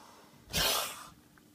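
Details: Ramsey, an angry baby boa constrictor refusing his evening meal, gives one short, sharp, breathy hiss of about half a second in a quiet indoor room.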